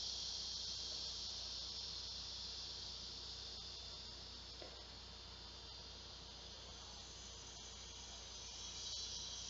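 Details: Large male cicadas calling for females to mate on a hot summer day at 12:10 p.m. on Tuesday, August 2, 2016. An ear-piercing, steady, high hissing buzz holds unbroken throughout, with a faint pulsing texture and slight swells in loudness.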